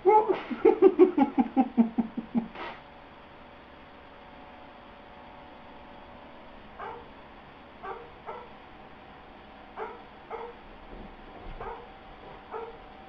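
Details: Airedale Terrier named Astor, getting a bit confused, lets out a rapid burst of about a dozen loud yelping whines that drop in pitch over two seconds, followed by softer short whimpers roughly once a second.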